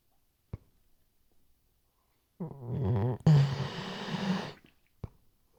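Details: Weimaraner sleeping indoors, RODE NTG3B microphone: after a few soft clicks comes a wavering low groan, then a longer rough, buzzy, grumbling breath lasting over a second, with isolated clicks around it.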